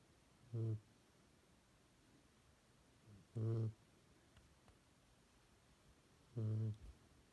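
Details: Tired pet dog snoring loudly indoors: three low, rumbling snores about three seconds apart, each a short harmonic burst, with quiet room hiss between.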